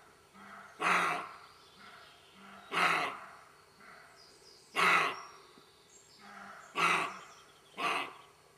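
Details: Roe deer barking in a garden: five harsh, hoarse, broadband barks spaced roughly two seconds apart, each short and explosive, over a faint steady low hum with a few thin high chirps in the background.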